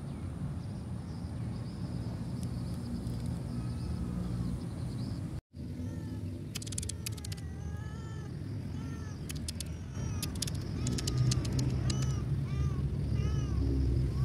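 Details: Cat abandoned by the roadside with no food source nearby, giving a run of short, rising-and-falling meows in the second half. A steady low traffic-like rumble underlies the whole recording and grows louder toward the end.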